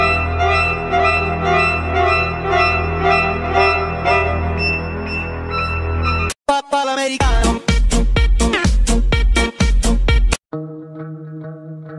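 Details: Organ and keyboard music plays throughout, broken by sharp rhythmic chords and brief silences, with no animal voices.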